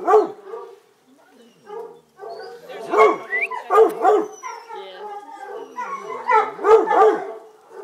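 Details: A litter of Redbone Coonhound puppies, including a newly acquired female, yelp and whine in short, high, overlapping bursts, with a human voice nearby.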